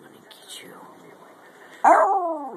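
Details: Pet Jack Russell Terrier named Topper, weighing 10 lb, playing a chase game; a woman teases softly, then near the end the dog lets out a sudden loud yelp that trails into a wavering, falling howl.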